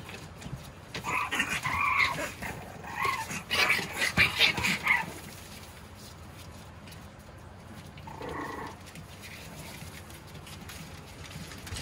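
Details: Roly-poly male Boston Terrier puppy gives squeaky, nasal whines in quick uneven bursts over the first five seconds, then a short lone whine later, with soft tapping and handling noise between.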